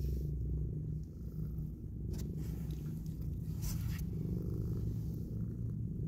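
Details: A mother cat nuzzles and kisses her newborn kittens while purring, a low buzzing rumble sustained without pause, with short scraping and rustling sounds near the middle.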